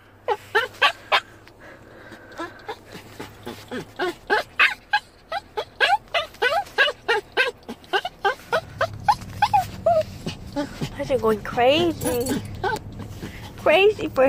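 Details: Adult chihuahua, seven years old, crying like a puppy for his dog mom: rapid, steady series of short rising-falling whines for about eight seconds, then longer wavering, warbling cries mixed with a louder low hum.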